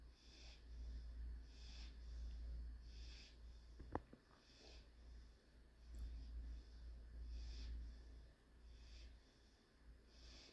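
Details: Panzer, a German Shorthaired Pointer puppy, napping indoors on 2/9/21, breathes in gentle wheezy puffs roughly once a second. A single sharp click near the middle breaks the low background hum.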